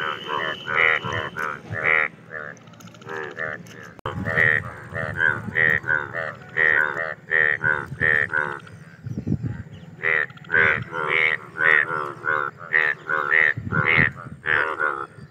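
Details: Indian bullfrog calling during mating, heard as a long series of loud, nasal, bleating croaks in uneven bursts roughly once a second, with several callers overlapping and a low hum beneath.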